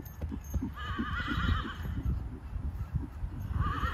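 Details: Hanoverian warmblood horse, nine-year-old gelding-sized 16.2 hands, giving a wavering whinny that rises and shakes for about a second, then a second shorter whinny near the end, over steady hoof clip-clop and low rumbling background.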